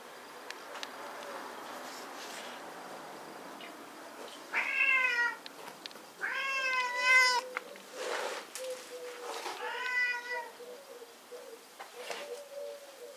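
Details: Shelter cats up for adoption through the Asociación Cuatro Gatos Y Tu: three clear, bright meows, the middle one longest, over a steady low background murmur and faint lower chirping.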